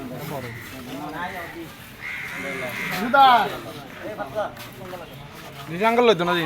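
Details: Goats at a Manasa Puja gathering in 2024 at Olirhat, with wavering, harmonic bleats at about three and six seconds, the second loud and strained, over people talking and some music.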